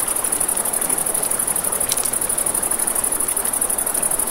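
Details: At night by a river, crickets give a constant rapid high trill with an even pulsing rhythm, while river water hisses underneath and a single loud crackle from the campfire stands out midway.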